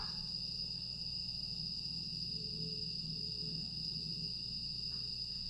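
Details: Grass insects on a quiet night in Aewol, Jeju, 25 August 2022: a steady, high-pitched shimmering drone that never pauses, with fainter bands above and below it, over a low constant hum.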